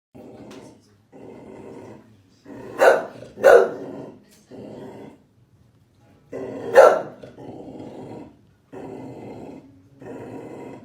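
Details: Chow Chow dog barking: three loud, gruff single barks spread over about eleven seconds, separated by low, rumbling growls that rise and fall in separate stretches.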